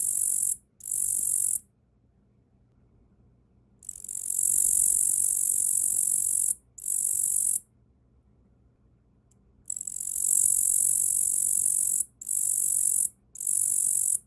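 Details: Tettigonia orientalis katydid called Yaburaien, hand-reared after capture as a young nymph in early spring, perched on an arm and singing: shrill, sizzling buzzes of uneven length, some brief and some several seconds long, broken by silent gaps.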